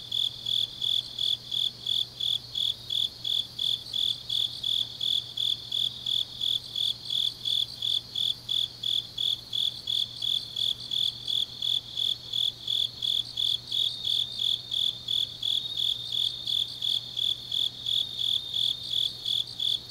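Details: Grass insects calling through a deep autumn night in Changnyeong, South Gyeongsang Province, Korea; a long, unbroken series of sharp high chirps at a steady pace of almost three per second, with softer overlapping trills and a low hum.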